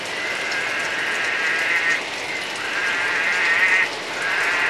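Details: Orange-thighed frog south of Atherton, far north Queensland. A steady, bleating, mid-pitched tone holds for about two seconds, pauses briefly, then resumes over constant hissing background noise.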